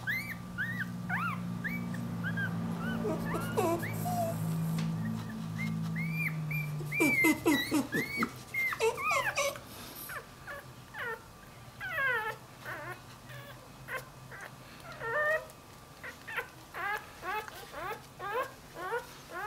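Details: Puppies whining and yipping in a pet compilation: a low droning hum at first, then a burst of loud overlapping cries, followed by a run of high, bending whimpers repeated roughly every second.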